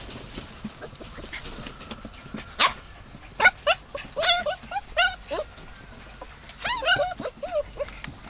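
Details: Dog calling with a series of high, arched whining yelps in quick bursts, clustered around four to five and seven seconds, over a low background with faint voices.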